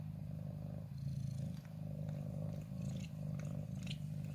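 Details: Ginger cat named Wongfield, settled in a favourite corner on 14 January 2023, still wary of the person filming but drawn to the camera and nuzzling it: a steady low rumbling purr pulsing in waves, with faint small clicks and rustles above.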